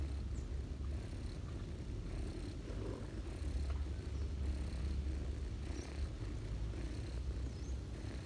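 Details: Ginger mother cat feeding kittens on a person's knees in autumn; a steady deep purring drone runs throughout, continuous and even, with mild rustling in the background.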